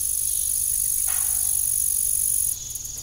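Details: Evening crickets at an old family farm with a disused windmill: a continuous high, thin shrill that turns into quick pulsed chirps near the end, with one brief creak partway through.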